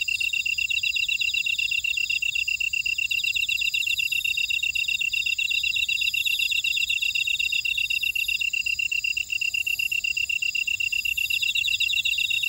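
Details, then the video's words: Buckwheat field insects on Jeju Island, South Korea, at Ora-dong: a constant rapid high trill, rasping upper buzzes, and recurring bursts of a very high shimmering note that swell and fade every few seconds. "제주 메밀밭의 풀벌레 소리 (Sound of a buckwheat field)"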